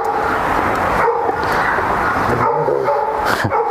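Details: Flat-backed German Shepherd mother, Shunshun, meets her daughter Xiaowang again after a year apart, now playing and starting to discipline her pup; thin, high whining tones come and go over a steady rushing background noise.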